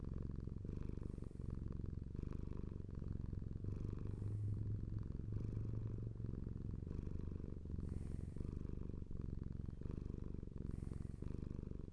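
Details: A domestic cat purrs continuously, a deep buzzing rumble in slightly uneven breath cycles, with a brief low hum under the middle and soft hissy breaths now and then.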